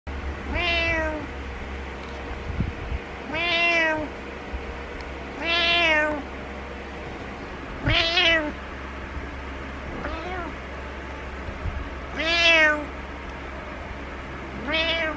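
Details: A pet cat named Butters meows to get its owner awake, giving seven harmonic, arching meows spaced about two seconds apart, some long and drawn out, others short, over a steady low indoor hum.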